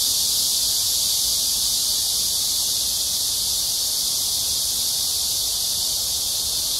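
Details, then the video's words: Summer cicada din along the Han River at Amsa Ecological Park, Seoul, South Korea, between 6 and 7 p.m. on 26 July 2021: a constant shrill buzzing wall of sound with faint pulsing, no other clear voices. "Cicada sounds/매미소리 가득한 암사생태공원 해질녁 산책"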